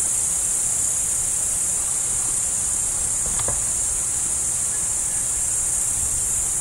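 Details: Chirping crickets alongside a roe deer form a continuous, high-pitched buzzing wall of sound at even loudness, broken only by one brief soft tick midway and a quiet low background hum.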